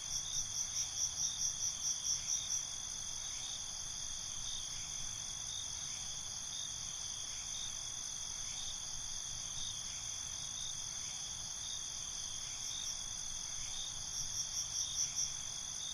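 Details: Crickets calling in the night, a dense continuous high-pitched buzz with two spells of rapid beating chirps, one at the start and another near the end, separated by steady droning.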